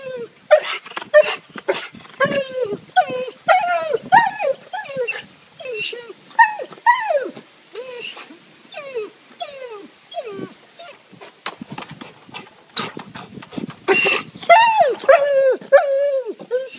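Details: Pet dog Beaner, surprised by its owner climbing over the back fence from the neighbours' side, gives a rapid run of high falling whines and yips, some drawn out, with a human voice mixed in.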